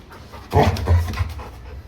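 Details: Cesar, a pet Labrador Retriever puppy, pants in a short run of two or three breathy, rasping huffs clustered mid-clip, set against a steady low hum and quieter surroundings before and after.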